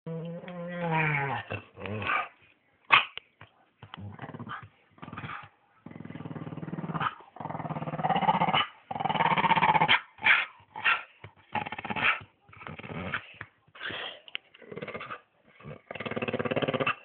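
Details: Staffordshire Bull Terrier kept as a pet dog, giving a run of rough, throaty growls and short gruff barking bursts in quick irregular succession, with a whining harmonic tone at the very start and brief silent gaps between outbursts.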